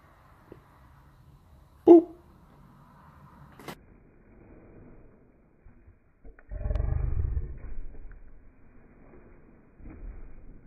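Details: Black Boerboel mastiff play-fighting a person's hand, slowed down; a deep rumbling growl about one second long rises midway, after a sharp knock and soft thumps, with another brief low rumble near the end.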